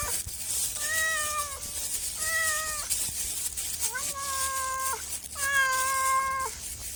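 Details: Domestic cat meowing: four drawn-out, level meows of about a second each, evenly spaced, the later two slightly rising at the start, over a steady hiss.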